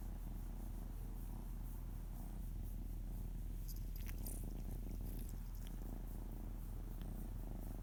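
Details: Pet cat lying on a lap, belly softly rubbed, paws flapping, purrs without pause: low, throbbing rumble pulsing about four times a second, with brief rustling and faint clicks midway.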